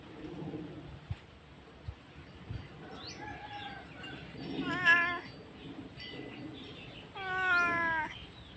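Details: Domestic cat crying loudly after its owner went out to receive goods; a few faint mews build to two clearer, quavering meows near the end, with soft clicks and background chirps.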